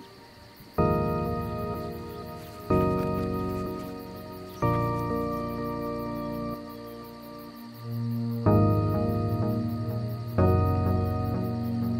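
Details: Sustained harmonic music chords, changing every two seconds or so, over a faint steady hiss; no animal voice is heard.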